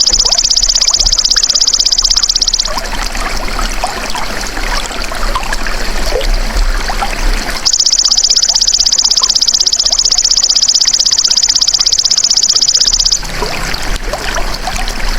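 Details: Golden grasshopper calling in a recording meant to tutor caged songbirds: two bursts of shrill, fast-pulsed buzzing, one at the start and a longer one in the middle, separated and followed by soft trickling, rustling background noise.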